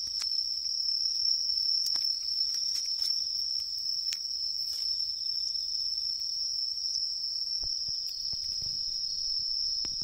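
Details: Unbroken, piercing high trill of a tree cricket in an autumn wood beside a large river, constant in pitch and volume, broken only by scattered brief clicks and taps.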